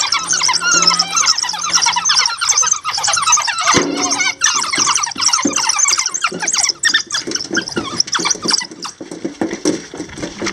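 African wild dogs chirp and twitter together, a dense chorus of high, bird-like squeaks.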